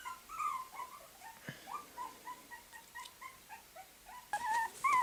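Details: Puppies whimpering and yipping indoors in a small room, a rapid run of short high whines, many notes per second with slight rises and falls, ending in a louder pair of drawn-out whimpers; a person repeats the name Tyson.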